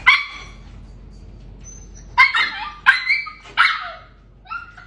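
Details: Samoyed puppy meeting an orange cat in the cat's home, giving a short yelp, then a run of three or four harsh, high barks with a pause before, and a faint final bark.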